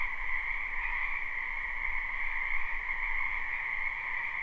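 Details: Dense spring chorus of wild frogs in a wetland beside a house, recorded live: steady overlapping trilling in two bands, the upper one dominant, over a soft low background rumble.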